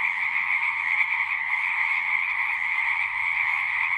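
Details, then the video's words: Singing frogs form a continuous wall of trilling, a bright high band over a lower buzzing layer, never stopping and barely changing in volume. "One hour of singing frogs."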